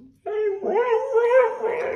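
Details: Husky greeting its owner home from work with a long talkative vocalization: a short whine, then a sustained, modulated howling moan that wobbles up and down for nearly two seconds.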